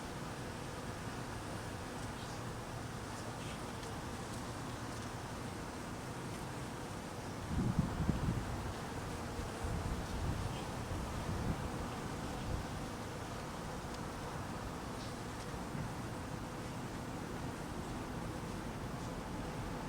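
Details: Hungry honey bees being fed in cold weather: a dense, steady low hum of many wings runs throughout, with a gust of wind rumbling through the middle seconds.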